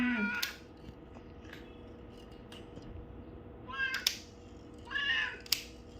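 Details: House cat meowing during an ear-cleaning session among four cats: a brief meow at the start, then two short, higher mews a second apart later on, over faint rustling.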